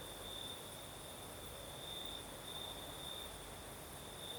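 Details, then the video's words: Night chorus of crickets in Crimea's south during a nighttime breeze, a continuous high-pitched trill holding one pitch and pulsing gently, with a faint upper shimmer over a soft rushing background of wind. "Звук ночи. Юг. Крым. Сверчки поют."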